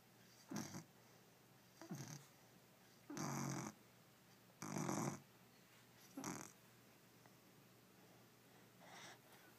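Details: Sleeping puppy snoring in a quiet room, six rough, breathy snores spaced roughly 1.5 seconds apart, some longer and louder than others, with faint background hiss between them.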